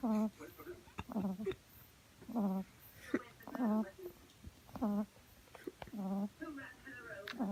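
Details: Female French Bulldog puppy asleep on her back, second day in a new home, snoring indoors; squeaky, humming snorts recur about every second in uneven pairs, separated by soft breathing lulls.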